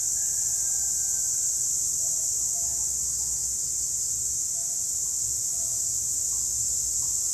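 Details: A group of cicadas sings by day, a steady, high, shrill buzz that drones on without a break.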